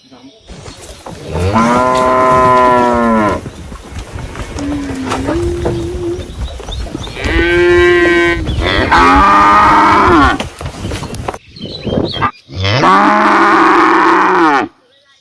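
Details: Cows in a village in summer give several long, deep moos, each a drawn-out harmonic bellow lasting about two seconds.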